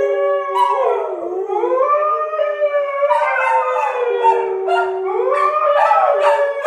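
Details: Several dogs howl together, with Sky the Siberian husky provoked by English springer spaniels Marshall and Sadie. Sustained, gliding howls swoop down, then climb and waver for the whole stretch, with voices layered in harmony.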